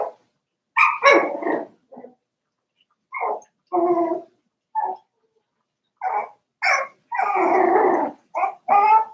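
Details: Four-week-old Cavalier King Charles Spaniel puppies, a litter of Daisy's, in their puppy pen: repeated short whining yelps and whimpers, some drawn out, coming in quick bursts with brief pauses between them.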